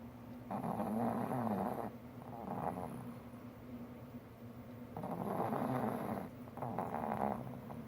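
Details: Loud snoring from a four-year-old male pug asleep in a favourite spot on a lap at a computer, only when very comfortable; two long rough, fluttering snore bouts about four seconds apart with quieter breathing between.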